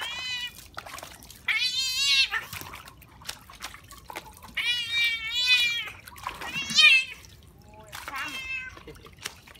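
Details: Domestic cat playing in water, giving loud, wavering meows in a string of about five calls over ten seconds, each drawn out and bending in pitch, with short quiet gaps between.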